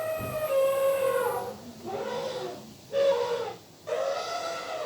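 An elephant gives a run of loud, brassy trumpet blasts, each harsh and horn-like with a slightly falling pitch. Short pauses separate the four or so bursts.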